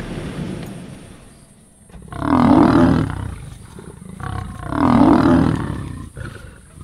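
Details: Sub-adult Kambula pride lions attacking a male leopard at MalaMala Game Reserve; two long, loud, rasping growls about two and a half seconds apart, each swelling and fading, with quieter rumbling between.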